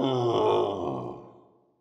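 A gorilla gives a deep, throaty grunt that swells and then fades into a groaning tail over nearly two seconds.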